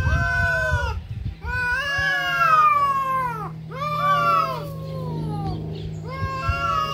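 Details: Cats in a fight give long, loud, wailing yowls in several overlapping bursts, each sliding up then down in pitch, separated by brief pauses, over a low background hum.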